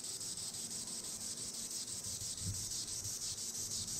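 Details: Tibicen linnei, the green annual cicada, calling from the treetops: a dense, high, rasping drone that pulses rhythmically about twice a second without a break.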